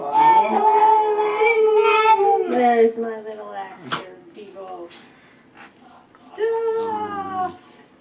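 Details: Pet dog howling at his own appearance on TV: long wavering howls that drop in pitch, a short pause with soft whimpers, then another howl, while a person talks and background music plays.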